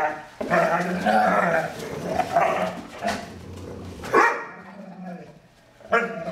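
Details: Strange playful vocalizing from foster dog Stella, the larger of two fosters playing with Maddie. Long moaning, growly howls with rich harmonics fill the first seconds, then a sharp yelp, a quiet pause and a final groan.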